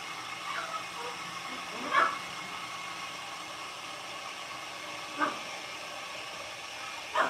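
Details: Blenheim Cavalier King Charles Spaniel puppies aged six weeks, a litter of five kept in an indoor puppy pen at home, give three short sharp yips spaced a few seconds apart over a steady hissing background.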